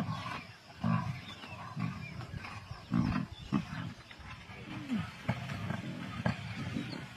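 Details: Kambula Pride lions in a feeding frenzy on 16 February 2024: deep overlapping growls and snarls in rough bursts, with faint human voices in the background.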